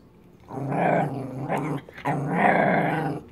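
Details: Pet dog growling on command indoors: two long, rough, rumbling growls, each over a second, with a brief break between them and a person's voice giving commands around them.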